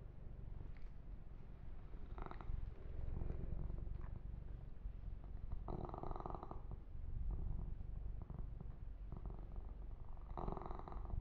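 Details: Male pet kitten purring while being massaged and groomed indoors; steady low rumbling purr throughout, with soft rustling brushing bursts from fur grooming and handling at intervals.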